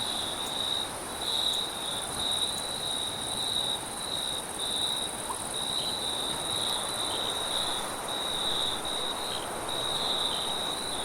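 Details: Cricket at night with wind sound: continuous high, slightly pulsed trilling with a faint overtone band above, set against steady windy hiss.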